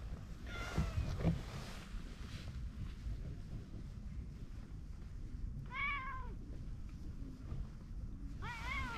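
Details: Pondside orange tabby stray cat enjoying being petted; three bright arched meows, one near the start and two close together at the end, with low outdoor background noise throughout.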